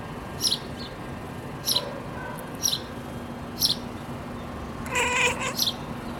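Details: Bird-watching Siamese cat Jessica, sleepy but distracted, makes one short buzzy chattering chirp near the end, with clipped high-pitched bird calls repeating about once a second before it.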